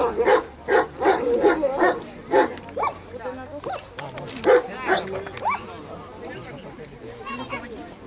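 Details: German Shepherd at the 2015 Dogs Village Cup dog sport competition in Ukraine, during the escort dog test of a guard and protection programme: about six sharp, loud barks in the first two and a half seconds, followed by human voices.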